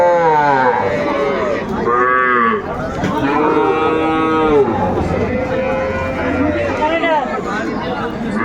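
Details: Sahiwal bull calves at Ambari cattle market, Bangladesh, 18 May 2024, lowing in a series of drawn-out harmonic moos, some rising then falling, with a busy market crowd murmuring behind.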